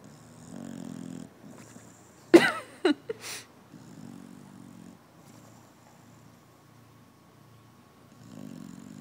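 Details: Bulldog asleep and snoring with its cheek puffing out: low, rasping snores recurring roughly every four seconds, interrupted early by a sharp knock and clatter.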